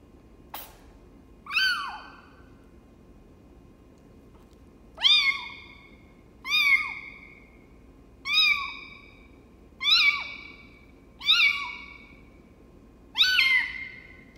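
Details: A runt foster kitten being raised by hand after her mother slapped and hissed at her when she tried to nurse; loud, clear meows rising then falling, repeated seven times at irregular gaps of one to three seconds, indoors with a single click early on.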